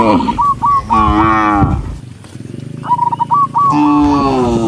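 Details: Herd of tame cattle walking along a countryside path through green meadows at sunset, mooing to call dozens of cows home: deep drawn-out moos at the start and end, with a quick run of repeated high chirps between them.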